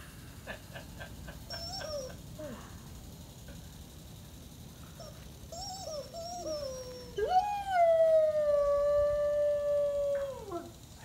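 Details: A 3-year-old Weimaraner in Mexico, singing along at his birthday on 10 August, opens with brief wavering whimpers and yips, then holds an even-pitched howl about three seconds before it slides downward and fades.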